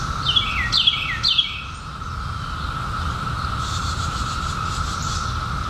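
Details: A continuous buzzing chorus of periodical cicadas, emerged in 2021 after a 17-year hiding, drones at an even pitch. A few quick descending bird chirps come in the first second and a half, over a low background rumble.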